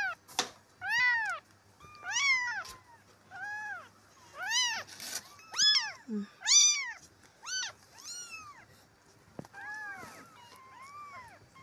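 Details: Rescued stray kittens, four of them, calling while being cleaned: a rapid series of about a dozen high, bent meows, roughly one per second, some overlapping, with a faint low hum underneath.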